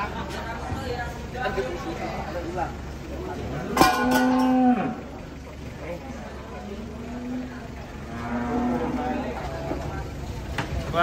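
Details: Giant cattle being unloaded from a truck in Indonesia; a loud low drawn-out moo midway and a quieter moo later, amid clattering, crowd noise and voices.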